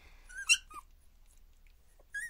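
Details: Shrill high squeaks from two-week-old Border Collie puppies during their first play together, one loud yelp early and another at the end, with near silence between.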